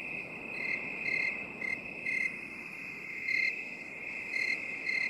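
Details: Crickets in a binaural 8D recording made for relaxation: short, bright, high-pitched chirps come in irregular bursts over a steady, shrill background trill that never stops.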